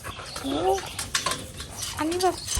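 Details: Bulldog giving two short, nasal whining calls, each rising then falling slightly, about a second and a half apart, with a person speaking Thai and handling noises nearby.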